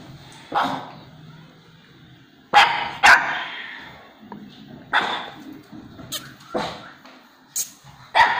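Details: Pet dog responding with barks to its own played-back bark. About eight single, sharp barks are scattered irregularly across eight seconds, with quiet gaps between them and a soft low rumble in the background.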